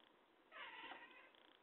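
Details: A talkative domestic cat gives one drawn-out, voiced meow lasting under a second, rich in harmonics, rising then easing off, over a faint steady hiss.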